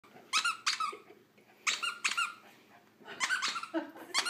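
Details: Buddy, a four-year-old pet terrier indoors, tries to bark at a laser he wants to chase while holding a squeaky toy in his mouth; short, sharp squeaky bursts come in clusters of two or three, with quiet pauses between.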